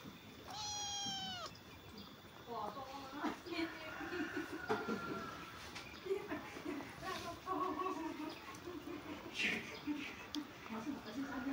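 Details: Domestic cat giving one clear, drawn-out harmonic meow that slides slightly downward near the start, followed by softer, shorter mewing sounds mixed with people talking close by indoors.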